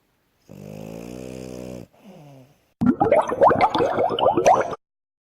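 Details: Asya, a female French Bulldog, sleeps on a bed, worn out after running around. One droning, buzzy snore is followed by a softer wheezing breath, then a burst of louder, irregular clicking and rustling noises.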